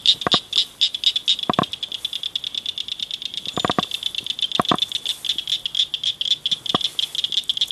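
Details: Several loud frogs chirping at night in a ditch culvert; rapid high-pitched pulses continue throughout while sharp, clicking taps punctuate the trilling at irregular moments.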